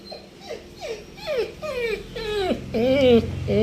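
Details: Male pet Labrador Retriever in a small room, 'replying' when his owner asks in Kannada if he wants food: a run of about seven drawn-out, moaning whines that bend up and down and grow louder, with a woman's voice interleaved.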